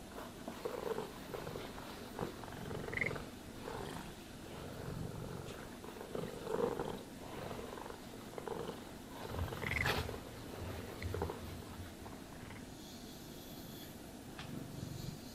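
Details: Pet cat purring during brushing, a continuous grainy low rumble swelling in rhythmic waves with each stroke, scattered clicks and a faint high tone later on.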